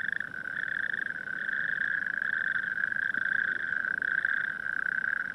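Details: Natterjack toads call in chorus at night among coastal dunes near Barrow-in-Furness, a loud, steady, rasping trill with overlapping voices and no breaks, echoing around the dunes.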